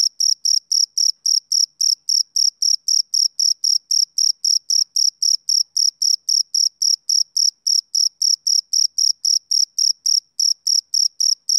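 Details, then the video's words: Male cricket calling through a summer evening: a long run of sharp, high, ringing chirps, roughly four per second and evenly spaced, on a silent background. "Cricket Chirping"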